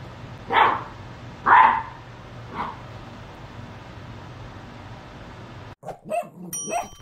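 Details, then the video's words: A Great Dane puppy gives three short, husky barks about a second apart, each softer than the last, barking at a mop it treats as dangerous. "Great Dane puppy barks at mop nemesis"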